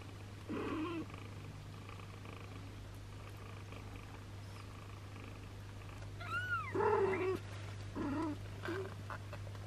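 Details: Tessa, a sheltered long-haired British mother cat with her three kittens and an abandoned kitten; short arching mews rise and fall in a cluster near the middle and again later, over a steady low hum and faint rustling.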